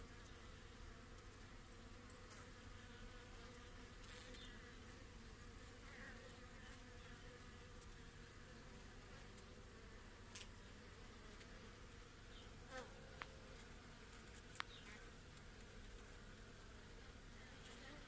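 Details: Honey bees crowding a hive frame with their queen during a hive inspection give a steady, low droning hum throughout, with a few faint clicks and taps over the constant buzzing.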